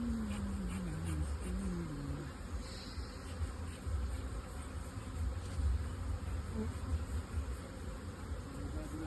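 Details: Steady low hum of many honey bees around modern two-storey hive boxes on a honey-producing bee farm, with a man's voice briefly audible at the start over the continuous drone.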